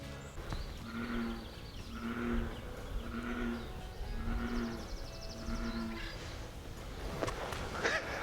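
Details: At a lake on Mt. Tam, Marin County, California, an American bullfrog gives five deep, droning, moo-like notes like a cow mooing, about one a second, over a steady background hiss.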